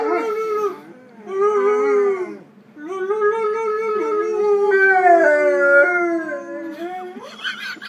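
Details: A 14-month-old male Weimaraner howls in long, wavering, drawn-out notes, with a brief rising yelp at the end.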